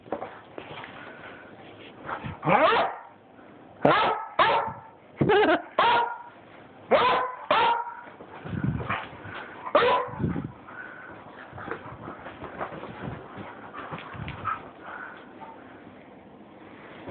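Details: Buckly the Beagle acting a little crazy, giving a burst of about eight sharp, loud barks in quick pairs and singles over roughly eight seconds, then quieter yips and snuffling sounds with faint background noise.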